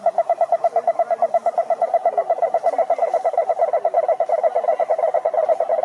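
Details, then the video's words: Cururu toad, Rhinella marina, at a lake in Brazil's Atlantic forest, giving a steady rapid pulsed trill at mid pitch, about three pulses per second, with harmonics. Quieter toads trill in the background. "CANTORIA DE SAPOS CURURU"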